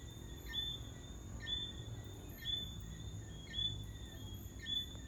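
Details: Tree frogs at Long Mountain Country Club, Kingston, Jamaica, repeat brief, high, cricket-like whistles about once a second, over a thin insect whine and a low background rumble.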